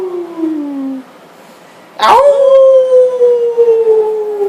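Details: Family dog joining the family in howling, August 2012: a steady falling howl fades out, then after a pause a sharp onset leads into a new sustained, slowly descending howl with overtones above it.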